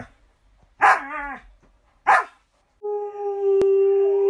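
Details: Female Alaskan Malamute kept as a pet gives two loud, harmonic, falling barks about a second apart, followed by a steady electronic tone and music.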